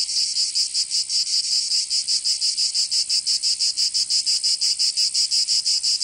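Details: In Provence in the south of France, summer cicadas produce a high, rasping buzz throbbing in fast, fairly regular pulses, nearly three each second, alone in the recording.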